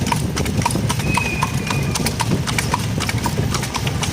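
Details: Horse pulling a cart at night, hooves striking in a steady clip-clop of sharp knocks about twice a second over a low rumbling road noise.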